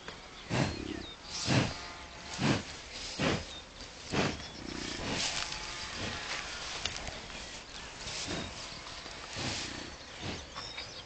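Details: American bison met at close range on a bison farm in Kurozwęki, Świętokrzyskie Voivodeship, Poland; a series of deep, rough, breathy grunts or snorts, about ten bursts roughly once a second, against a quiet outdoor background.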